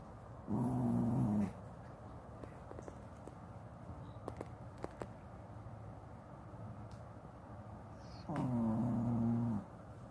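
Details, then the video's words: A sound-asleep Shih Tzu wearing a cone collar for an eye infection snores: two low, buzzy, droning breaths of about one second each, some seven seconds apart, with quiet clicks and rustles between them. "시츄 코골이"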